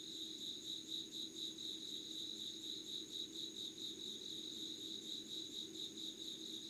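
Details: Insects calling at 5 a.m., 25 August 2019, in Yugawara, Kanagawa, Japan, beside a candle: a shrill chorus of rapidly beating trills with a fainter, higher steady whine, and a soft low rumble in the background.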